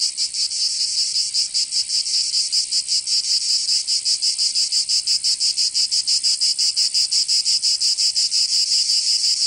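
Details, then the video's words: Cicadas in summer, southern France, Provence: a sizzling high drone that starts smooth and steady, then breaks into rapid, even pulses about three per second, unbroken to the end. "Canto Cigarra 🦗 [ Escuchar les cigarras en verano 10 H]"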